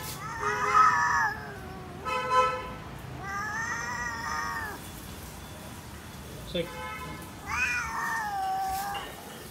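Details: Tall male cat named Psyche, coming out from a railing sheet while being offered food, gives three drawn-out, tonal meows, the first and last falling in pitch, spaced a few seconds apart, alongside a man calling to it and a short knock.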